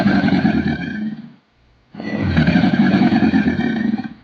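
A crocodile gives two deep, rough, rumbling growls, each about a second and a half to two seconds long, with a short silent gap between them.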